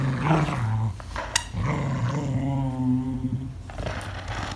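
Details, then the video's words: English Cocker Spaniel growling while playing, acting angry: a low rumbling growl with a sharp click near the middle, then a long sustained throaty growl with wavering overtones. "Angry Cocker worse than Doberman"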